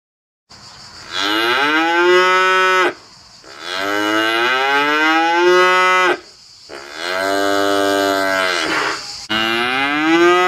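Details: White hornless Galloway cow, a small docile Scottish breed, filmed at Vendargues, lowing in three long harmonic-rich moos, each about two seconds, pitch bending upward then holding, separated by short quiet gaps.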